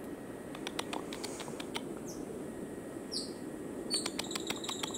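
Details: Cotton-top tamarin in Colombia giving brief, very high, downward-sliding chirps over a steady hiss and scattered clicks.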